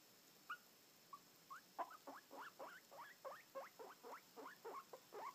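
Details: Albino guinea pig giving a run of short rising squeaks, starting sparse and then repeated about three to four times per second, each a quick upward sweep.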